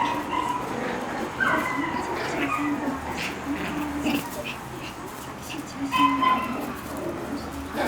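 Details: Shiba Inu puppy playing energetically outdoors, giving short high whimpers and yips with tones that rise and fall, scattered irregularly through the stretch, while people talk in the background.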